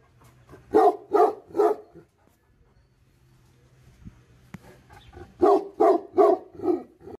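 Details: Two short runs of deep, loud barks from an angry Tibetan Mastiff, known in Nepal as Bhote Kukur, separated by a few seconds of near silence with a faint low hum.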